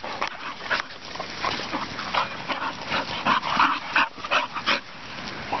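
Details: Two young English Bull Terriers play-fighting on a field by a farm, trading rough, noisy snarls and short yips in quick bursts.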